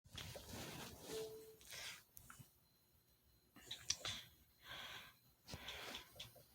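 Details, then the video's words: Sleeping Chihuahua snoring: soft, breathy, wheezy snores in short bursts roughly every one to two seconds, with quiet pauses between breaths and a faint high squeak near the middle. "Chihuahua snoring"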